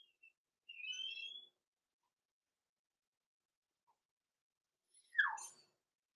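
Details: Blenheim Cavalier King Charles Spaniel puppies, six weeks old, in their indoor pen at night: a thin, wavering whine held under a second, a pause of silence, then a brief squeaky cry that slides downward.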